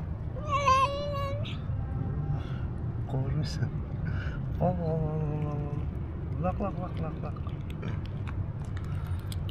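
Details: Black stray cat living on the street, meowing constantly while begging for food: four or so clear, drawn-out meows, some steady and some bending downward, spaced over about seven seconds above a continuous low rumble of background noise.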